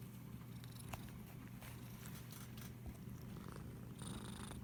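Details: Pet cat being stroked, captured on an iPhone SE: an unbroken low purr runs through the whole moment, while light rubbing sounds and a brief higher rustle toward the end come from the petting.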